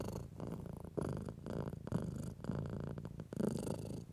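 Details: House cat purring as it is stroked, a relaxed contented sound: a soft buzzing throb with a fast even pulse, rising and falling slightly with each breath over a few seconds.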